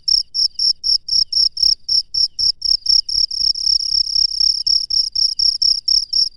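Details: Night-time cricket in the wild giving rapid high-pitched chirps, roughly four per second, each a bright buzzy pulse, with a faint low rumble between them and nothing else clearly heard.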